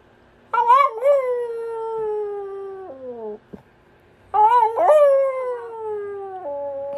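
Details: Ruby Cavalier King Charles Spaniel giving two drawn-out howls. Each starts with a quick upward yelp, slides gently downward over roughly two seconds and ends in a lower held note, with a short sharp click in the gap between them.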